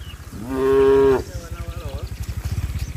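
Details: Tame cattle hurrying to the barn as rain falls: a loud, steady, one-second moo opens, followed by a softer wavering low call and a quick rhythmic thudding, like hooves, under it.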